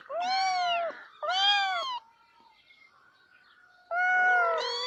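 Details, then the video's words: A domestic cat makes two clear arched meows in quick succession, then falls quiet for about two seconds. It finishes with a longer, louder meow that wavers in pitch. "The Ultimate Cat Meowing Compilation - Cute and Funny Cat Sounds for Everyone!"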